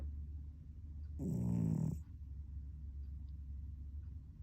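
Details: Domestic cat snoring in its sleep indoors: a single low, rough, rumbling breath lasting under a second, with a gravelly buzz, followed by quiet breathing and soft room hiss.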